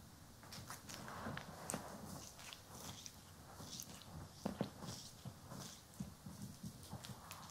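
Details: Pet cat, Poki or Kiwi, purring during a grooming and brushing session, stereo recording: a soft continuous low purr runs beneath rhythmic rasping brush strokes and small clicks, with no human voices.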